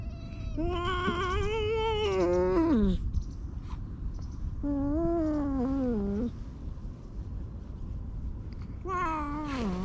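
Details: Meows from stray cats being petted beneath a bench while others join: three drawn-out, wavering cries, each sagging in pitch at its end, spaced a few seconds apart over a constant low outdoor hum.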